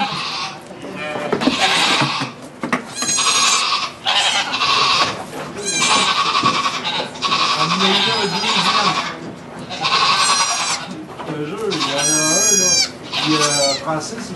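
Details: In a sugar shack in Quebec, Canada, a goat gives birth to two kids, filmed on an iPod Touch 4G; a long run of repeated, quavering bleats, some sharp and cracking, with French speech in the background.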